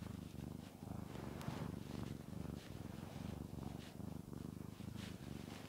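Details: Cat called Shamotra purring as she is petted, a low rhythmic rumble rising and falling in short pulses about twice a second, with light rustling over it.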